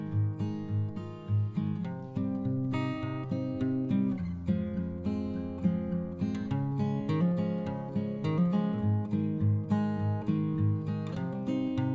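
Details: Acoustic guitar music strumming and plucking steadily, with no animal sounds heard.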